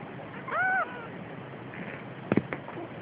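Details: Siamese cat carrying a kitten gives a single short, tonal, slightly arched meow lasting under half a second, followed later by a few dull knocks and handling noises against a quiet background.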